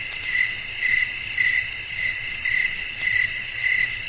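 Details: Evening countryside ambience of chirping crickets and wind: pulsing shrill chirps recurring somewhat unevenly close to twice a second, backed by a continuous high insect drone.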